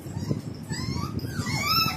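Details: Little baby Nina, a Golden Retriever, being stubborn and desperate with her mother indoors: high, wavering whines that slide up and down in overlapping strands, growing busier toward the end over a low rumbling background.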